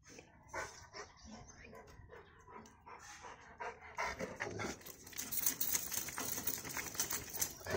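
A Rottweiler gives rapid, rough, breathy huffs that swell into a louder, harsher rumble.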